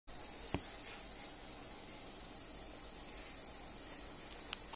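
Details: Albino diamondback rattlesnake shaking its tail rattle: a dry, even, hissing buzz held unbroken for almost five seconds, steady in loudness, with two faint clicks near the start and end.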